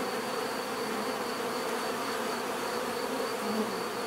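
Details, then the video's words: Bees humming in a steady, dense drone, a continuous swarm buzz with many overlapping wingbeats and no break in loudness over the few seconds. "bees therapy relaxing natural buzzing sound"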